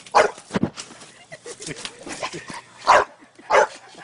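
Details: Playing on a trampoline, a dog lets out sharp, loud barks: two close together at the start and two more near the end, with soft whines and speech between them.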